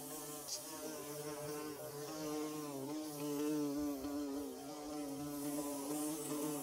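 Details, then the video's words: Swarm of bees at work building a nest, producing a continuous low droning buzz with stacked harmonics that waver and swell, loudness rising toward the middle, a brief click near the start. "Bee Buzzing"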